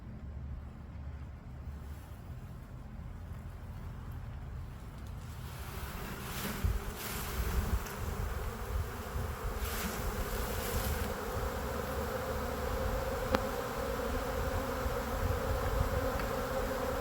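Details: Western honey bee swarm, a fairly large late-spring swarm in a tree in Lakeland, Florida, being shaken or cut into a box; dense low droning hum building after a quieter start, with brief rustling and knocking bursts.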